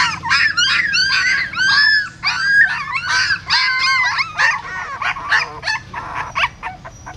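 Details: Newborn puppies of a female dog that had given birth in a pagoda stupa in Siem Reap, being moved by their mother's mouth: overlapping shrill yelps and wavering squeals in quick, irregular bursts, growing weaker near the end.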